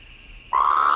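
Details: Colorado River toad; mating call; male calling to attract a female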